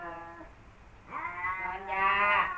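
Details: Kaopat and Ronja, male cats who never got along, exchange a low moaning wail followed by a swelling, rising caterwaul that grows louder and harsher to the end.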